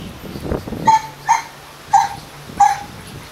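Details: Doberman Pinschers kept as a pair at Madness Kennels, Arnos Vale, St. Vincent and the Grenadines: four short, high, whining yelps spaced about half a second apart, preceded by soft rustling and a low background hum.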